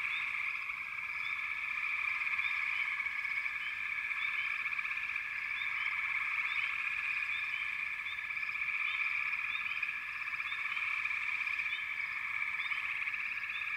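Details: Continuous frog chorus: layered droning trills with frequent brief rising chirps popping out over the steady mass of calling.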